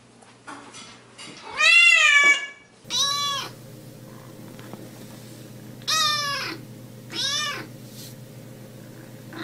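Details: Meows of a domestic cat, meant to attract other cats: a long, loud, harmonic-rich meow, then three shorter meows spaced a few seconds apart, with a quiet electrical hum underneath.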